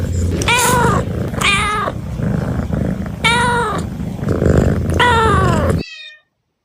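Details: Cats meowing in a bamboo tree, searching for food: several loud, drawn-out meows with arching pitch, roughly one every one to two seconds, over a heavy low rumbling background, then silence.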